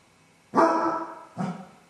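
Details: Basset Hound left alone indoors at home while its owners are out, showing separation anxiety: two loud, deep, ringing bays, the first almost a second long and the second shorter, with a short pause between them.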